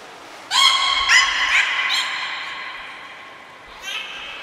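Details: Beluga named Nico during a training session at Port of Nagoya Public Aquarium, Japan, 25 February 2024: a bright harmonic whistled call with short upward chirps, a few pulses in quick succession, then a brief fainter squeal.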